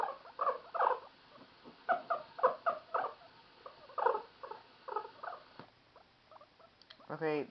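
A guinea pig gives short, chirpy bursts in quick rhythmic runs, a noise it makes when happy.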